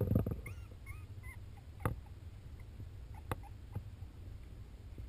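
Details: Baby Welsh corgi puppies drinking their mother's milk; a few thin, high whines that bend up and down in the first second and a half, then soft clicks and suckling noises over a steady low rumble.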